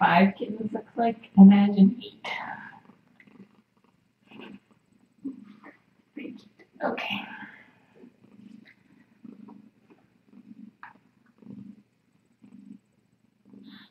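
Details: On a Tiny Kittens Society rescue cam at night, a person talks briefly before a cat's soft, low purr takes over, pulsing steadily with each breath and broken by occasional quiet voice sounds.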